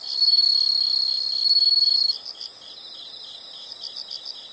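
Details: A piercing continuous insect trill for about two seconds stops suddenly, giving way to softer high chirps pulsing rhythmically in the background.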